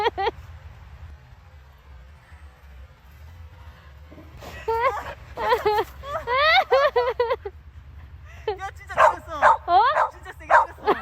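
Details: Samoyed named Gyeoul, out in 2020's first snow, reacting while the owners pretend to faint. It gives drawn-out, wavering whines in two bursts, rising and falling, over people pleading and talking.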